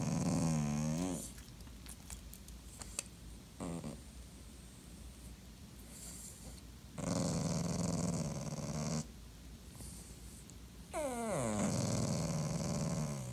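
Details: Ignored, clingy Dachshund voices a short growly whine, falls quiet amid scattered clicks and taps, then lets out two longer rumbling, moaning grumbles, each lasting about two seconds.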